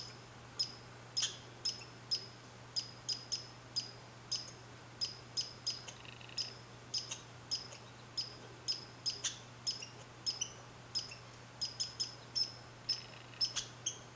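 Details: Red squirrel on 15 July 2020 in Saint-Calixte, Lanaudière, repeating thin piercing chirps at an uneven quick pace. Scattered louder snaps stand out against a soft constant hum.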